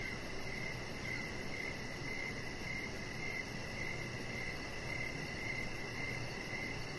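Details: Outdoor evening ambience with crickets near a lit deck: rapid, evenly spaced high chirps sounding nearly twice a second, a faint shimmering pulse higher still, all over steady low background noise.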